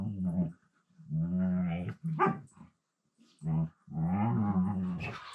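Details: Siberian Husky talking in a low-pitched voice while two huskies play together indoors on the floor: drawn-out, moaning, harmonic vocal phrases in several bursts with short silent gaps, ending in a longer wavering grumble.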